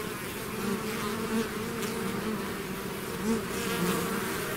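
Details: A honey bee swarm pouring out of its hive, a dense continuous buzz with steady low hum bands and brief louder passes of individual bees near the recorder.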